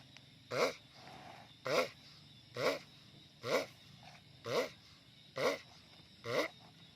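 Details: Sulcata tortoise letting out seven loud, evenly spaced grunts, each a rough harmonic burst with a wobbling pitch, repeating a little more than once a second.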